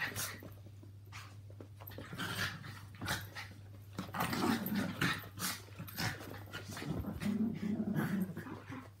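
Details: Two Yorkshire Terriers, Walt aged three and Milly aged four, and Harvey, a two-year-old Maltese, share a home and romp through a mad half hour. Low rumbling play growls come in uneven bursts, with scuffling and thumps throughout.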